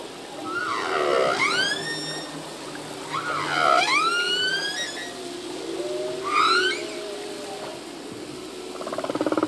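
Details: Humpback whale song phrase from a male at sea: high swooping whistles dipping then rising in V shapes, repeated three times, with soft low tones between and a rapid pulsed buzz at the end.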